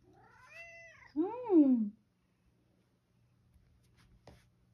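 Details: Satchan, a rescued male cat living at Kazano workshop with a grandmother, meows indoors to bring her to the kitchen for a late-night snack: a soft, wavering meow, then a louder, drawn-out meow that slides downward, followed by silence and one faint click.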